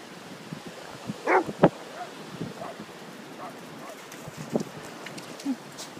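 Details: Orla the Whippet and Peter the Basset Hound playing together on Holkham Beach; two short, sharp barks close together early on, then a few faint yelps, with steady wind rumbling against the microphone.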